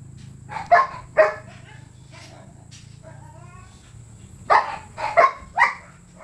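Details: Siberian Husky at the Rocketkaito kennel, filmed in a stud service setting: two loud, sharp barks early, a thin rising whimper in the middle, then a quick run of three barks near the end, over a low steady background hum.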